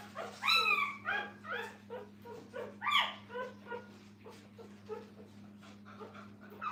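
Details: Kennel puppies near their mother let out loud, wavering harmonic whines, strongest in the first three seconds, then fading into quieter overlapping whimpers, with an electrical hum in the background.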